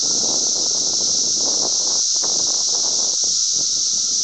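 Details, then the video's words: Cicadas droning loudly in Glen Ellyn, Illinois, on 10 June 2007, their steady high hiss dominant while crackling, rustling noise like wind or handling runs underneath throughout. "cicadas making a lotta noise"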